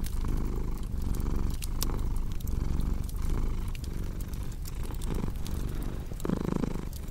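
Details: Domestic cat purring steadily beside a crackling fireplace; a deep, rumbling purr that swells and dips with each breath about every 0.8 seconds, overlaid by sharp scattered pops and snaps from the burning fire.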